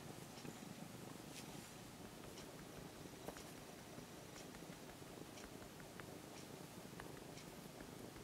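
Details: Former stray orange-and-white kitten, now nearly a house cat after six months of care, being stroked and purring; an even, quiet, pulsing rumble that continues throughout with a few light ticks of fur and claw contact.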